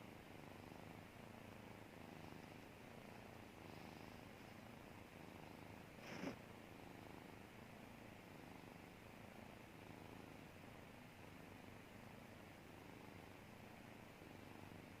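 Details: Relaxed domestic cat purring steadily, a continuous low rumbling throb that holds evenly from start to finish, with one brief sharp click partway through.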